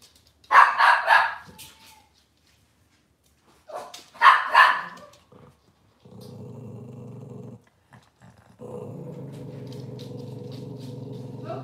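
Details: Cavalier King Charles Spaniel in a breeder's kitchen on a cloudy Monday morning, giving two loud bursts of rapid barking, then a steady mechanical hum fills the room.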